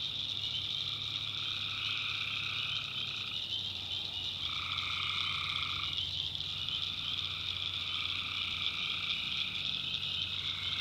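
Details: Tree frogs calling at night in a swamp in the North Carolina backwoods: a dense, unbroken high-pitched chorus, with lower steady tones that switch on and off every few seconds over a faint low hum.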